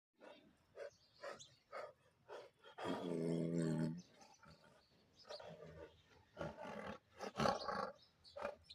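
A Bengal tiger gives short gruff grunts, then one long, deep, rumbling roar before more coughing huffs.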